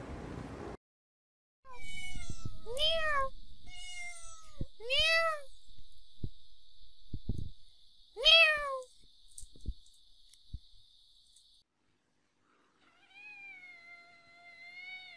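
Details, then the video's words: Cats and kittens meowing indoors: a series of arched, falling-then-rising meows in quick succession, some short and some drawn out, over a steady high whine, ending with a softer, flatter, wavering meow. "Funny Cats and Kittens Meowing"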